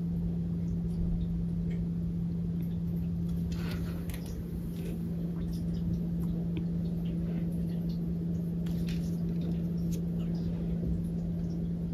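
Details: Steady low electrical hum indoors with faint scattered tapping and rustling, no animal voice heard.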